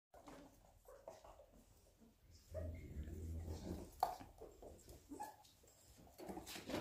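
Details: German Shorthaired Pointer puppies, quiet and close: soft, short whines and squeaky whimpers come in scattered bursts, with a low steady hum in the middle and rustling, shuffling noises from the litter throughout.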